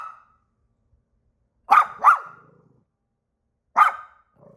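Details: Pet dog practicing its barks: a brief sharp bark at the start, then a quick double bark and a single bark a couple of seconds later, each loud and abrupt with clear pauses between.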